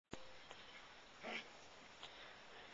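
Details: Five-week-old Labradoodle puppies from one litter; a brief yelping, whining burst rises near the middle amid scuffling and rustling noise, with a sharp knock at the start.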